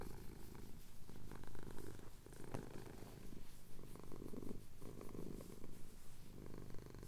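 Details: Purring male cat having his chin scratched, recorded separately on a Tascam DR-07X during a Cotswold sunrise; low rumbling purr rising and falling in cycles, one sharp tick midway.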